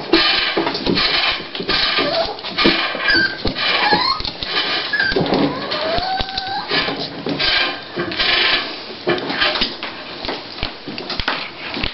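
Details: Toy Pinscher bitch named Dolly, a pet indoors, at the start of giving birth: thin, high whines that slide up and down in pitch, a few drawn-out wavering cries mid-way, over steady rustling and handling noise.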